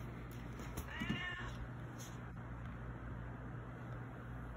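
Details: A pet cat, Baby Girl, pesters for food indoors while her dry-food bowl stays full; one clear, slightly falling meow, then quiet room tone.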